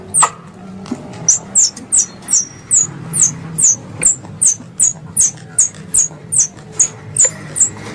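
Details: Hunting lure of squirrel calls: steady, fast chirps, very high and slurred downward, repeating about every half second, with a few sharp clicks and a low background rumble.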